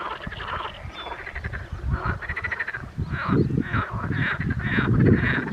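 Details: Edible frogs calling in spring: a crowd of rapid, rattling croaks with nasal, buzzy pulses, overlapping in an uneven, busy chorus with low rumbling noise beneath.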